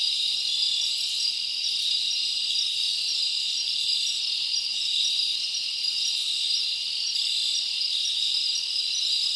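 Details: Crickets chirping at night in a summer forest, a dense, unbroken high-pitched shimmering chorus with layered trilling bands and steady loudness throughout, no other sounds standing out.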